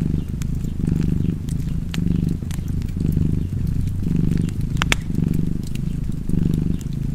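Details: Cozy cat purr set against fireplace sounds: a deep, continuous throbbing rumble that rises and falls roughly once per second, broken by scattered crackling snaps from the fire.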